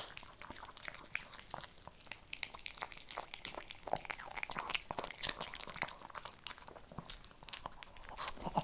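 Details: Shih Tzu chewing kibble: dense, rapid crunches and sharp bites come almost without pause, with brief brighter snaps standing out among the steady crackle.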